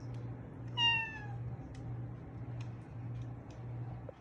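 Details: Orange-and-white pet cat welcoming its owner home with one clear, falling meow lasting about half a second, over a low steady hum in a quiet room.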